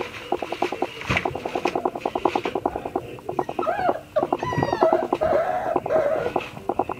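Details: Whimpering from a black-and-tan Dobermann puppy in a small room: thin, curving whines and a brief high squeal midway, set against a fast regular pulsing tap that runs throughout.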